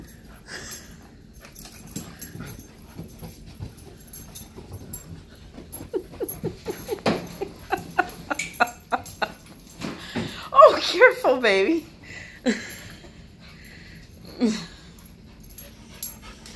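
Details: Husky and Malamute dogs playing indoors, doing nightly zoomies on the couch; soft whimpers and rapid panting, a quick run of short pulses, then a louder burst of whiny vocal sounds near the middle, with light thumps of movement.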